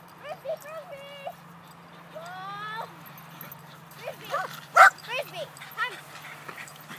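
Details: Red Border Collie puppy Tug-it, being clicker trained, whines in drawn-out, slightly wavering high tones, then lets out a sharp yip. Human speech is heard between the sounds, over a low background hum.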